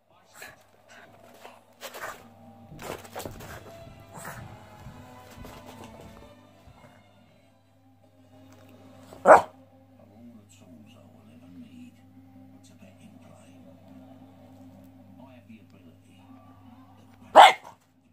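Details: Sam the Boston terrier, a pet dog, lets out two abrupt, explosive barks about eight seconds apart over low background music, a constant hum, and some voices early on.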